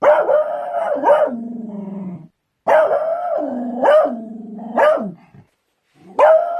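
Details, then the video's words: Beagles barking and baying: loud drawn-out howling barks with a falling, moaning tail, three bouts separated by short pauses, no other sounds. "Beagles barking | barking Beagles sounds"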